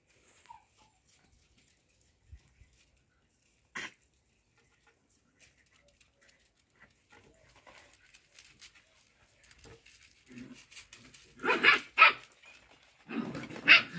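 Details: Show Cocker Spaniel puppies at play give scattered soft whimpers, then a burst of sharp, high yips near the end.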